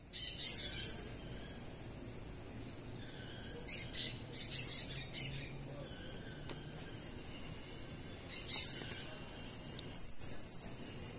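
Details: Group of Central American squirrel monkeys near Manuel Antonio National Park, Costa Rica, giving very high, thin chirping whistles with arched upswept notes, in short bursts separated by pauses of a few seconds.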